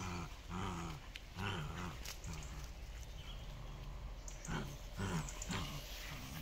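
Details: Two dogs, Miko and Kaela, from a Shiba Inu and Samoyed breeder in the Netherlands, playing tug of war: low rumbling growls in repeated bursts of about half a second, with rustling and scuffling between them.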